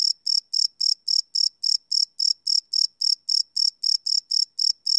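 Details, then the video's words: Crickets chirping after dark, recorded live with a Sony PCM D100 field recorder: a brisk series of sharp, high chirps, about three to four each second, steady and unbroken against silence. "Cricket Chirp Sound - Cricket Sounds at Night"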